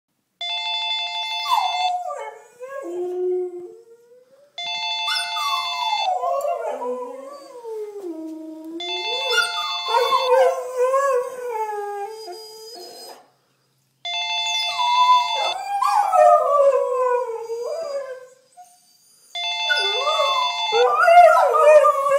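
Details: Two Siberian Huskies, one black and one white, howl in long, wavering, sliding notes, singing along to a repeating electronic phone ringtone.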